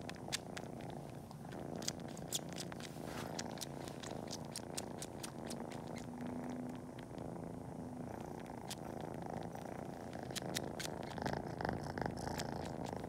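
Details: A steady, buzzing purr from Cori, a kitten sucking toes in pretend nursing before napping, with paw-kneading; irregular bursts of wet suckling clicks come in clusters, thinning briefly midway, then returning.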